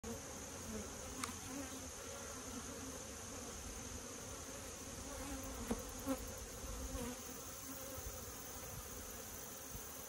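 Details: Honey bees buzzing at a farm hive: steady low droning hum throughout with a constant high whine, occasional sharp clicks and taps.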